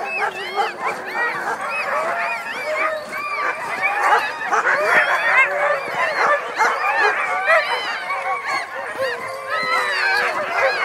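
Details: Dogs in a dog yard making a strange, busy chorus of high yips, whines and short barks, many overlapping voices with arched pitch sweeps, a little speech mixed in.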